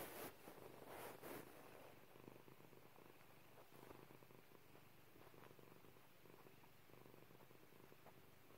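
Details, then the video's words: Purring of a female domestic cat kept as a pet, heard as a soft, even low rumble of fast pulses that continues steadily, with brief louder rustles near the start. "Purring Pepper"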